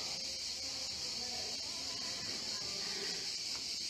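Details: A chorus of cicadas in summer gives a steady, high, shimmering buzz that never lets up, on chateau grounds in Provence, France, in late June at about 80 degrees Fahrenheit.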